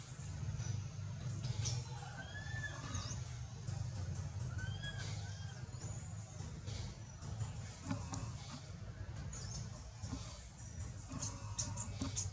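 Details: Baby monkey Anissa, frightened while monkey Aron refuses to let her go, calling for her mother: short arched whistled cries repeated irregularly, with thin high chirps above, under steady low rumbling background noise.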